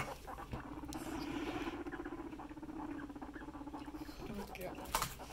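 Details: Pet guinea pigs at home, a male mounting a female; a sustained low vibrating rumble holds for about four seconds, then dips and trails off, with a woman's soft exclamation, rustling and a knock near the end.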